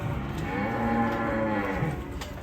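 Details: Angry cattle in Indonesia, a big bull nearly entering a roadside stall: one long, slightly wavering harmonic moo lasting about two seconds over crowd murmur.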